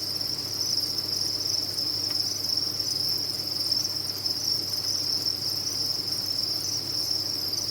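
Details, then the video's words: Massed cricket chirping from a cricket farm merges into one sustained, shrill, high-pitched whine, steady in loudness, with a quiet low hum in the background. "Sound of a Cricket Farm"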